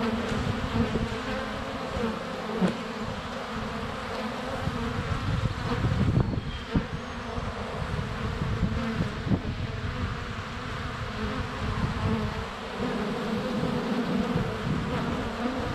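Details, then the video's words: Honey bees swarming in flight just outside their hive entrance, February sunshine, a GoPro Hero 7 Black under a foot away with bees landing on it; a thick low humming drone with soft knocks and rumbles as insects touch the camera. "Honey Bees - ambient video and audio"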